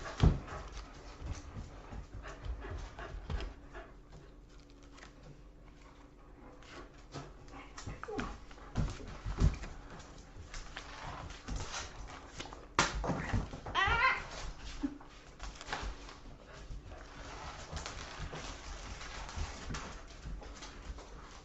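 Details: Boykin Spaniel indoors in a small room, caught chewing paper, pants steadily and gives a brief high whining whimper midway, with thumps and rustling and a woman's soothing voice telling the dog to stop.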